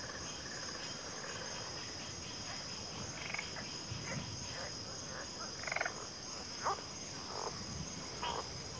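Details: Frogs calling in a backwater chorus: a few scattered croaks, some low-pitched, spread unevenly across the clip above a continuous high drone.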